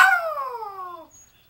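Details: Smokey, a pet Yorkie, howls while calling for Mom: a strong, clear tone that glides steadily down over about one second and then stops, leaving quiet.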